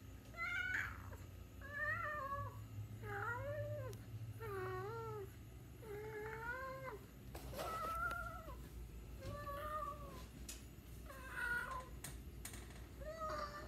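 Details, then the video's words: Domestic cat meowing indoors: a series of about a dozen short, arched meows, each rising then falling, spaced roughly a second apart, with a low steady hum underneath. "The cat meow"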